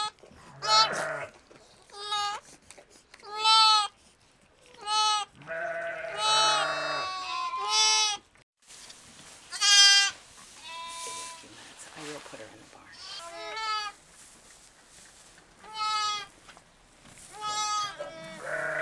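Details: Newborn lamb triplets just after a live birth on a farm in Sullivan County, New York, in October 2010, bleat repeatedly in short wavering cries, with deeper bleats from an adult sheep and a person speaking softly.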